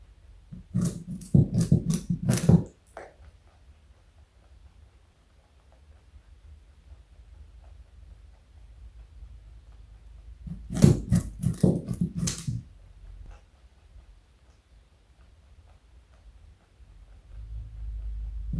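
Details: Pet male rabbit weighing 4.6 kg and over 60 cm long eating carrot indoors: two bursts of crisp, rapid crunching, near the start and around ten seconds, separated by quiet stretches with faint low hum and a soft thump at the end.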